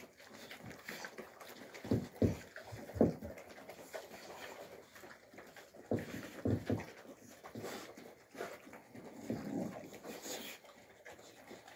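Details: Young Alabai puppies play-fighting indoors in winter 2023, Fawn Alpha against Tiger: low rough growling bursts in clusters around two to three seconds and again near six to seven seconds, with softer grumbles and panting between them.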